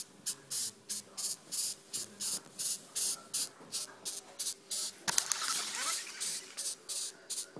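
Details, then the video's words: Beetle on a doorstep making a pulsed, breathy hiss: regular short bursts close to three per second, broken once by a longer rasping burst just past the midpoint. "Noisy Beetle"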